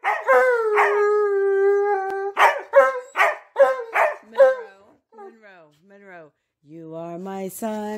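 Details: Dogs singing along to "You Are My Sunshine" with their owner: a drawn-out howl, then quick repeated yips, a softer sliding whine and closing howls, a human voice mixed in.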